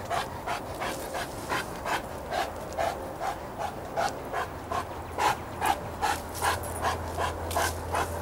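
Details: Rhythmic breathy panting, about two and a half breaths per second, among lakeside dogs Chester the St. Bernard, Izzy the German Shepherd, Cody the Golden Retriever and Clifford the Great Dane. A low steady hum underneath.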